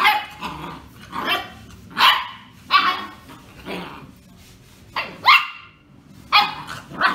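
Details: Young female German Shorthaired Pointer, under two months old, kept as a house pet, barking in quick high-pitched yaps roughly once a second, some rising into squeaky whines, while a woman speaks Spanish in the background.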